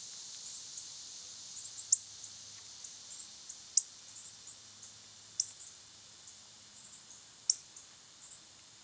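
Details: Cicadas buzzing steadily in summer heat, a bright sustained high-pitched hum that fades slightly toward the end, with sharp chirping clicks at irregular intervals.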